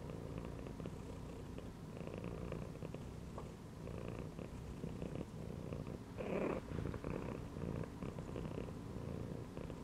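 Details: Resting cat lying in a gym belt, purring low and continuously; just past the middle a brief louder, higher burst stands out over the rumbling drone, with faint taps around it.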